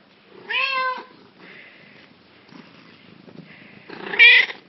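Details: Black cat with yellow eyes giving two loud, harmonic meows: a rising-then-falling one near the start and a sharper, higher one near the end, with softer murmuring sounds between them in a quiet indoor setting.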